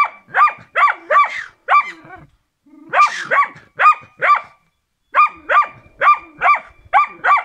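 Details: Rex, a Karelian Bear Dog, barking in training: rapid runs of sharp barks broken by short pauses, one breathier, rasping bark after the first gap.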